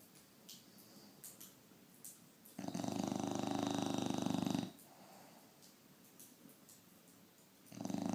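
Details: A bulldog asleep and snoring very loudly indoors. A long, rough, rattling snore lasts about two seconds after soft breathing, then another snore begins at the end. Faint clicks sound in between.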